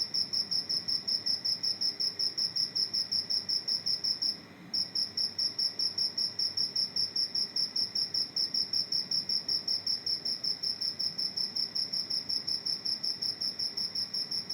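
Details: Cricket calling inside a house: a continuous run of high, tinny chirps at about two and a half per second, briefly pausing for half a second near the middle before resuming at the same steady pace.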